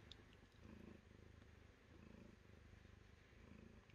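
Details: A cat purring in steady low rumbling bursts that swell and fade with each breath, roughly every one and a half seconds, over a faint background hum.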